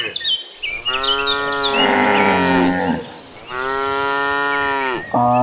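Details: Tame cattle from a herd of dozens, walking to a farm pasture, give two long, deep, drawn-out moos and the start of a third. Small birds chirp high in the background.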